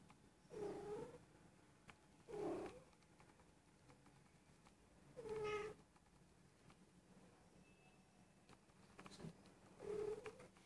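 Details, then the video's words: Persian cat, a female almost one year old and possibly in heat, usually silent but lately mewing and rolling over indoors; four low, drawn-out meows spaced a few seconds apart with quiet gaps between. "Persian cat in heat"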